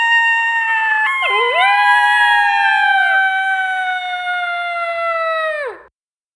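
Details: A pair of coyotes howling together: long sustained overlapping howls, one voice sliding up then holding steady before both drop away sharply, in otherwise quiet surroundings.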